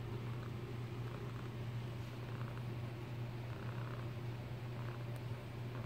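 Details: Diego, a tabby house cat suckling on a blanket, purrs in a steady, quiet, low rumble that carries unbroken through the whole stretch over faint room hiss.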